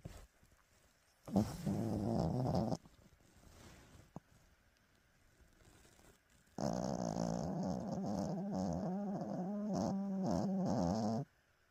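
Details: A 14-year-old dog sleeps and dreams after a big breakfast, snoring and sleep-talking in two drawn-out stretches: a short burst near the start, then a longer run of wavering, moaning groans, with quiet breathing between.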